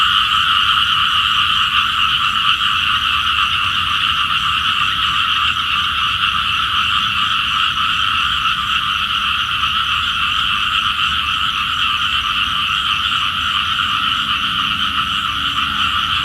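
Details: A mass of small frogs croaking at dawn, a call said to summon rain; rapid pulsing notes, roughly two and a half per second, blend into an unbroken two-toned chorus from many callers.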